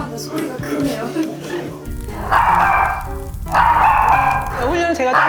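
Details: A small Maltese dog, a former rescue whose owners wonder whether past trauma causes its barking, barks in loud, sharp bursts as family or visitors arrive, over background music and talk.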